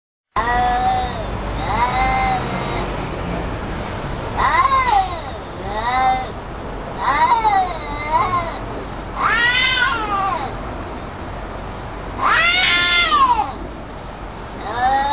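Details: Two cats meowing back and forth as if talking to each other: a series of drawn-out, arching meows, some rising then falling, repeated every couple of seconds with short pauses between exchanges.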